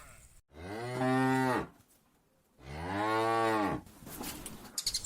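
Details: Cows of a large rural herd walking back to their pen in the afternoon, calling their companions to return. Two long, drawn-out, deep moos about two seconds apart, with a brief rustling clatter at the end.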